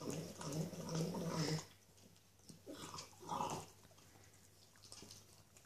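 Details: Small female Norwich Terrier relishing a bone: a low rumbling grunt for about a second and a half, then quieter chewing and snuffling bursts, over a constant background hum.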